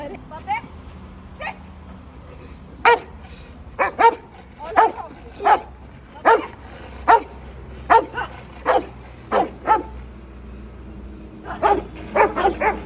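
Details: A Rottweiler riding in a pickup truck on a highway barks aggressively in sharp, deep bursts, several in quick succession, over a low road rumble.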